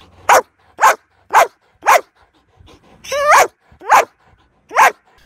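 A Belgian Malinois gives sharp, deep barks about twice a second, with one longer, drawn-out bark midway.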